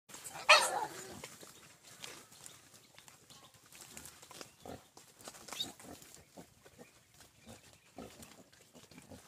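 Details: A big pig gives one loud, harsh, broadband squeal early on, followed by scattered clicks, knocks and low background noise for the rest of the recording.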